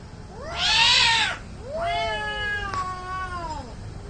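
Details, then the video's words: Angry cat in an Indian cat fight standoff: two loud, harmonically rich yowls, the first bursting harsh and strained, the second longer and bending downward, over faint low background noise. "CAT FIGHT ANGRY CATS - Making weird noise"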